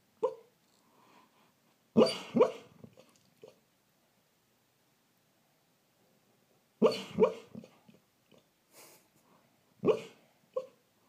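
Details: Female rescue greyhound dreaming and woofing in her sleep: soft muffled woofs in clusters of two or three, separated by several seconds of quiet, with small whimpering huffs between bursts.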